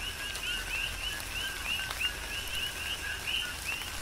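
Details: Chorus of coqui frogs calling during tropical rain on Hawaii's Big Island. Many overlapping two-part chirps, a low tone stepping up to a higher rising whistle, over steady rainfall with occasional louder drops.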